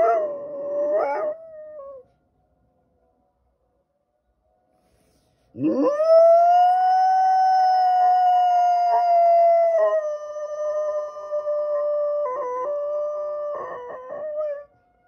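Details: Golden retriever howling: a short wavering cry, a pause, then a long rising howl that levels into a sustained tone with brief breaks near the end.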